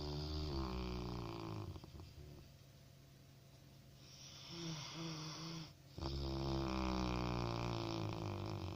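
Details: A Labrador puppy snores while it sleeps. The snoring is a steady, deep rasp with rhythmic ripples, and it eases to a softer, quieter stretch in the middle. It breaks off briefly just before six seconds, then resumes at full strength.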